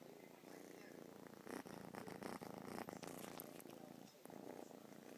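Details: Purring from one of two male pet cats, Fersken and Honning, heard close up indoors: a steady rumbling throb of rapid pulses that swells louder through the middle and dips briefly near the end.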